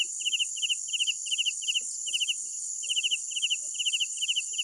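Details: Crickets at night: crisp, high trilled chirps of three to four quick pulses, repeated roughly twice a second with slight irregular gaps, over a steady shrill drone of other insects.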